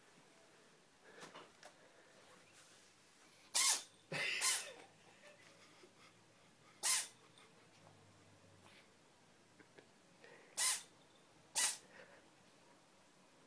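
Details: A cat in a sneezing fit gives a series of sharp, hissy, explosive sneezes, five bursts over about eight seconds, with soft snuffles and sniffs in between in a quiet room.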